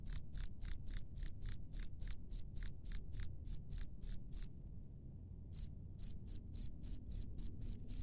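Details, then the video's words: A cricket chirps in the wild with rapid high-pitched pulses, around three each second, then falls silent for about a second before starting again; soft low rumble underneath. "SUARA JANGKRIK LANGSUNG DARI ALAM BEBAS"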